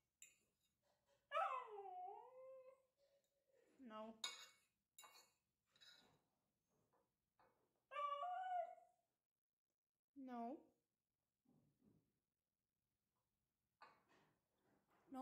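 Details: Hungry three-month-old puppy begging for food indoors: high, wavering whines and squeaky yelps sliding down in pitch, in short bouts a few seconds apart, while a person repeatedly says no and good boy.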